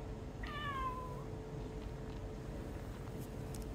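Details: Pet cat meowing to call its owner over to be stroked with a rice paddle: one clear drawn-out meow, slightly falling, with bright harmonics, then steady low room hum and quiet background.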